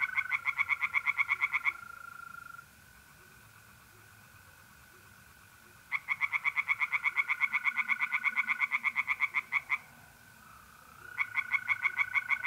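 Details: Tree frogs in a pond on a mid-April night in north-east Italy sing in three separate bouts of fast pulsed croaks, each lasting a few seconds, separated by quieter gaps where mole crickets keep trilling steadily.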